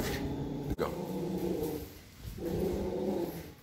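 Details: Yorkshire Terrier, unsure how to greet people coming into its home territory, gives two rough, low, drawn-out growling rumbles, the first lasting over a second, the second after a short pause, over a steady background hum.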